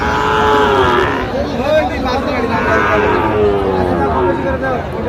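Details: Sahiwal cattle, bull calves for sale at a cattle market in Tangail, Bangladesh, 19 December 2025: a long, drawn-out harmonic moo opens, followed by softer lowing amid busy market chatter and bargaining voices.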